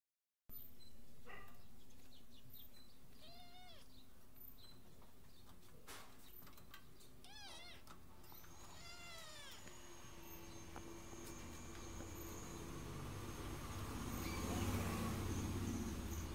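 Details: Two little orange kittens, adopted strays, playing in a window give short, high, arching mewed calls in quick clusters, with a steady background hum and rising broadband noise toward the end.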